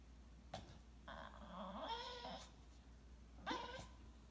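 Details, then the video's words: English Bulldog pouting because he wants his owner to play with his favourite toy: a drawn-out, wavering, nasal moan of about one and a half seconds, then a brief sharp whine, indoors with faint background noise. "Bulldog pouting"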